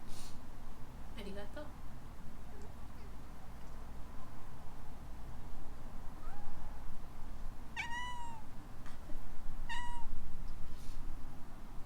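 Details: ['A young female rescue cat named Alana answers a sneeze indoors in Hawaii. After soft noises early on, two clear, bright, slightly falling meows come about two seconds apart near the end.']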